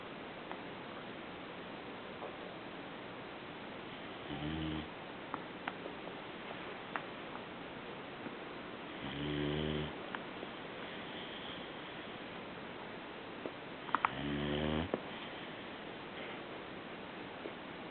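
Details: Sleeping puppy snoring indoors: three slow, raspy low snores with stacked harmonics, spaced about five seconds apart, with quiet hiss between breaths and faint small clicks.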